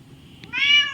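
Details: House cat sitting on a washing machine, talking to its owner indoors: a drawn-out harmonic meow rising and holding steady before easing down, preceded by a faint tick, over low background hum.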